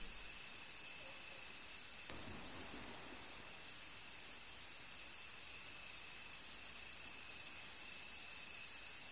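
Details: A field cricket chorus forms a steady, shrill, rapidly pulsing high trill, about three pulses a second, with a faint constant lower tone and a single sharp click early on.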